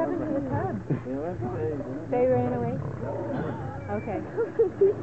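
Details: Wild male lions in a fight to become king, snarling in long undulating moans and rasping growls, overlapping one another, ending in short sharp yelping bursts.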